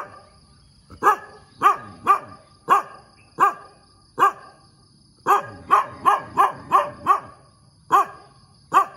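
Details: A dog barks repeatedly in the morning, loud sharp barks in irregular clusters, including a rapid volley of six near the middle, with a steady faint high hum underneath.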